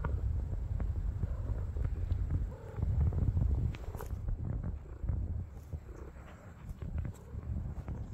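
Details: Homeless tortoiseshell street cat among her feline friends, giving a continuous deep rumbling purr that thickens in the middle and softens toward the end, over a thin constant high-pitched background hiss.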